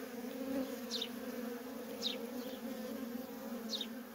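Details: Steady low hum from the constant coming and going of worker honey bees at a feral colony, overlaid by three short, high, downward-sliding chirps spaced unevenly.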